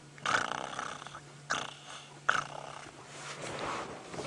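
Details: Nkuhuma pride lion cubs at sunset on September 2, 2016 whine and grunt as they walk, in three strained bursts about a second apart; elephants nearby, white-browed scrub robin alarm, vehicle engine hum and rustling.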